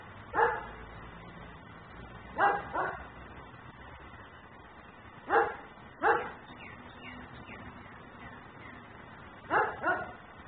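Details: A dog left outside in Mecklenburg barks persistently while its owner lets it carry on, caught by a camera recording in ten-minute cycles; sharp barks come mostly in pairs every few seconds, with faint bird chirps in between.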